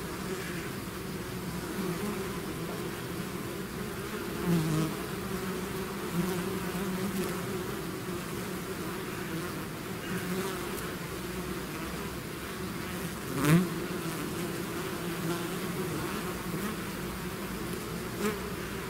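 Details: Bees swarming out of their hive: continuous layered buzzing with a deep hum and banded tones, punctuated by brief louder buzzes as single bees fly close past, around four and a half and thirteen seconds.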